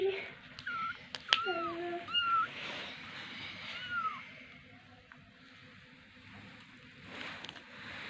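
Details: Two very small kittens indoors, eyes not yet open, give thin high mews: about four short arched cries in the first four seconds, then quiet room hiss, with a person's voice briefly at the start.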